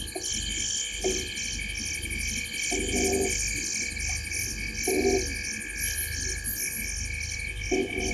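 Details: Frogs sitting in a tree at the corner of Gowrie dam, Djuma Game Reserve, Sabi Sand Wildtuin, South Africa, at 19:33 on 05/07/2023; short low croaking bursts every couple of seconds over a steady, high, pulsing night chorus.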